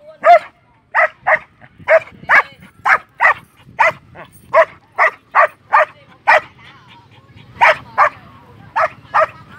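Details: A Belgian Malinois from Vietnam gives a long run of loud, sharp barks, roughly two per second with brief gaps, over a faint low hum in the background.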